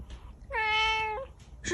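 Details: Angry domestic cat giving a single clear, level meow of under a second, bright and harmonic-rich, while a woman talks to it in Mandarin between calls.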